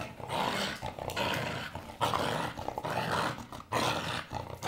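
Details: Playful blue Staffy with a toy: harsh, rasping growls come in long bursts, roughly one a second, each broken by brief pauses, with huffing breaths and scuffles between them.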